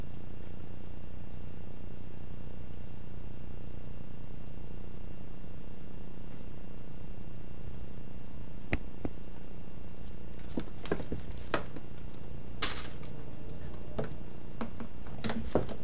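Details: A playing cat purrs steadily, a low, even rumble running through the whole recording, with scattered sharp clicks and light tapping in the second half, indoors in a small room.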